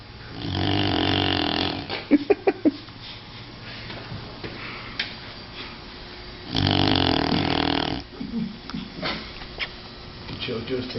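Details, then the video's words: Sleeping dog snoring: two long, rough, broadband snores about five seconds apart, a quick cluster of sharp clicks between them, and faint softer breathing noises afterward. "Snoring Dog"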